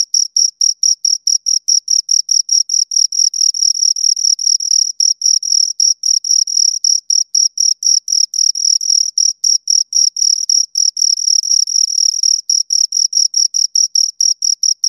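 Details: Two crickets stridulating up close in a long, dense run of shrill chirps. The two callers overlap and alternate, giving a fast, slightly irregular pulsing that barely pauses. No background sounds.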